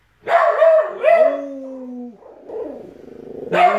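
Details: Pet dogs, a puggle, a rat terrier and a dachshund-pug mix, howl over uneaten food with their owner joining in. Two rising howls are followed by a long falling tone that fades away, and a new howl starts at the end.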